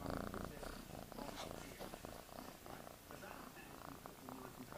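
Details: Kittens purring up close: a continuous rough, throbbing rumble with fast, uneven pulses that swell and fade slightly over the few seconds, set against a steady hissing background.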